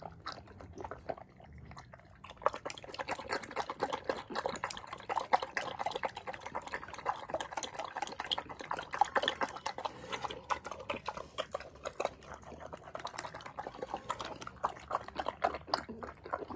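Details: At Arthur's Acres Animal Sanctuary, upstate New York, rescue pig Paulie eats cucumbers: after two quiet seconds, a long stretch of steady, sloppy slurping and wet chewing follows without pause.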